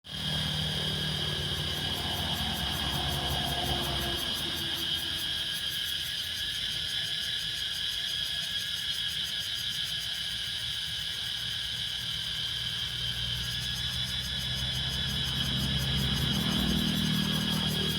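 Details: Cicadas in Laos: a steady, unbroken high-pitched drone with several stacked shrill tones lasting throughout, over a low rumbling background that swells near the end.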